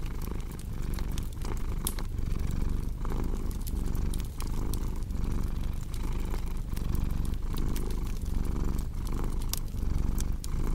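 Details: Cat purr as a deep continuous rumble, pulsing evenly with each breath about once a second, while a fireplace crackles and sharp wood pops stand out above it.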